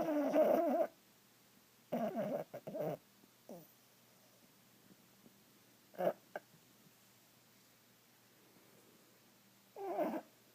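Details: A Boston Terrier asleep on a couch, apparently dreaming, snores in short, rough bursts broken by brief muffled whimpers.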